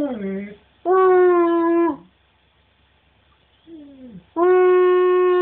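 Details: Husky/wolf hybrid named Cash singing: two steady, drawn-out harmonic howls about a second long, separated by a pause and a short falling wail, with a person's voice urging the dog on.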